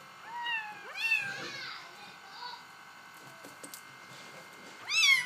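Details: Bengal kittens giving several short, high, thin meows that rise then fall, three close together in the first two seconds, a softer one midway and a sharp final mew, in a quiet indoor room.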